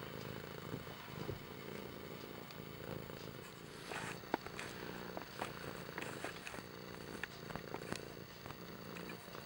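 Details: Low rhythmic purr from the cat Kimba, rumbling in repeated breath cycles, overlaid by crackling clicks and small handling noises near the middle.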